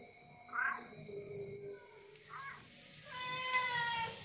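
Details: Orange cat being fed at the pre-dawn sahur meal, giving short rising meows and one longer harmonic-rich meow, with a faint background tone.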